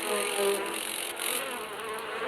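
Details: Asian giant hornets in attack, colony tending larvae in its busiest season; a steady droning wing buzz with layered low harmonics and broad hiss, faint background music.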